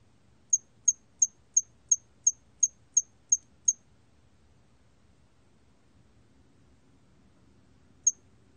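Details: Hairy cricket song from a 2020 recording: nine sharp, very high chirps at about three per second, then near silence with a faint low hum, and one lone chirp near the end.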